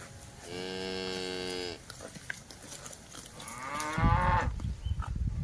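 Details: Village cattle from a herd moving about a green grass field: a long, steady, deep moo lasting over a second, then a second rising, strained moo around four seconds, with thumps and rustling nearby.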